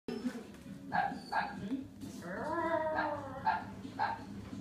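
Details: Dog barking indoors at confetti, a few short sharp barks spaced about half a second apart, with a person's voice and a drawn-out whine-like tone mixed in, low room hum beneath.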